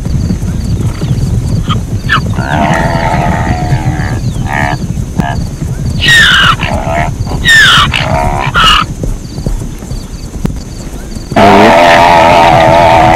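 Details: Zebra giving repeated yelping barks in bursts, some rising and falling sharply, ending in a loud drawn-out braying call, with a constant low rumble underneath.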